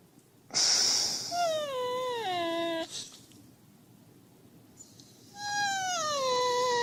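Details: Husky serving as its owner's wake-up alarm. A breathy burst, then a wobbling whine that drops in pitch, a quiet pause, and a second long whine that slowly slides down.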